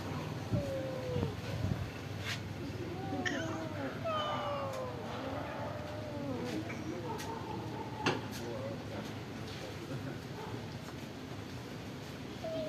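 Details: Several stray cats at a pagoda call while being given rice and fish, their overlapping wavering meows crowding together amid human speech and light background traffic.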